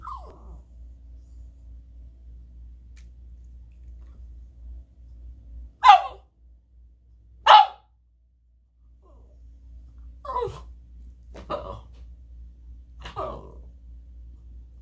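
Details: Boston Terrier throwing a fit, giving sharp, loud barks in irregular bursts: two strong barks close together, then three shorter ones about a second apart, over a low steady indoor hum.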